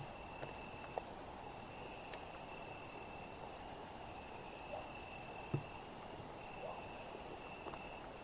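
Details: Summer night bugs: a constant high, thin hiss of many insects, with a softer trilling buzz running in long stretches separated by short pauses, and a few quiet ticks and taps in the background.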